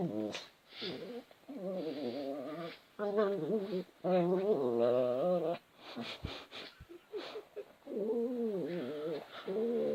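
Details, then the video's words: Pet cat Bailey making funny noises indoors: a run of warbling, wavering meow-like calls of one to two seconds each, separated by short pauses, with a few clicks and thumps between them. "Bailey funny noises"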